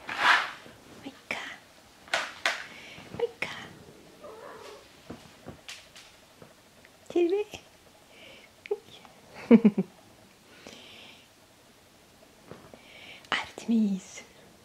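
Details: Siberian kittens, seven weeks old, indoors while playing, eating and being rubbed; a few short, high, bending mews and squeaks scattered among people's soft Finnish greetings and handling noises.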